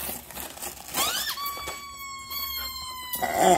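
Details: German Shepherd at Christmas while gifts are being opened indoors; a short rising squeal leads into a high, drawn-out whine that holds a steady pitch and sags slightly over nearly two seconds, with faint room noise behind.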